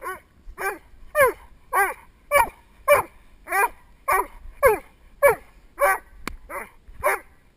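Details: Male Doberman Spock barking at a helper in protection work, captured from the helper's viewpoint on a GoPro Hero2 headstrap: steady, loud barks repeated roughly every half second, evenly paced throughout.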